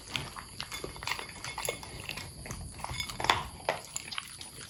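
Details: Long-haired Corgi dogs at their bowls crunching kibble mixed with freeze-dried toppings and blueberries; rapid, uneven bursts of crisp chewing clicks, dense and busy throughout.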